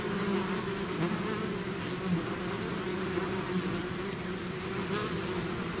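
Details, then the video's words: Bees swarming outside their hive make an even, unbroken hum layered with fainter higher buzzing, individual insects flicking past the recorder now and then. "bees therapy swarm natural buzzing sound"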